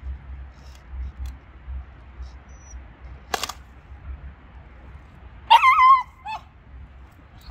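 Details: Shiba Inu dog standing guard at an icy puddle, barking and growling to keep its owner from crossing; one short wavering, tonal yelp rises and dips midway, after a sharp click, over steady low rumbling background noise.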